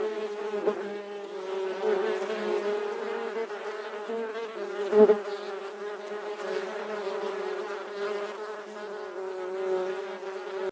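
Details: Bee recorded close up: a steady, droning wing buzz with a rich stack of harmonics, holding an even pitch throughout with slight wavering and one brief louder swell midway.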